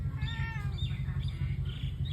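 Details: Domestic cat giving soft, short meows near the start while being urged to come into the house, over a constant low hum and faint background noise.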